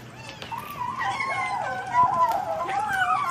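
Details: Cat eating while voicing a long wavering whine-like growl that slides up and down continuously for about three seconds, with faint chewing clicks underneath.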